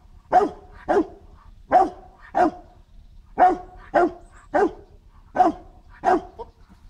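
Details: During protection training on 8 September 2014, the dog Marshal von Hause Sommer gives nine powerful deep barks, some in quick pairs with short gaps between, against faint low background noise.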